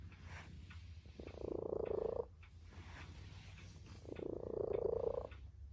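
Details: A domestic tabby cat, sleeping alongside its owners, gives two long, rough, vibrating purr-like rumbles a few seconds apart over a low steady hum.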